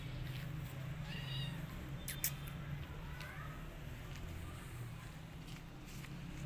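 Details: Rescued kittens, afraid of a giant rabbit and running away from him, give a few short, thin meows against a steady low rumble of background noise, with some sharp clicks.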